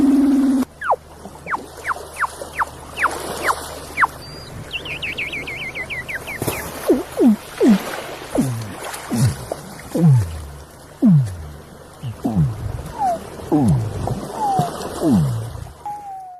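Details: Sleeping Weddell seal gives a run of eerie downward-sliding whistles and chirps, one after another.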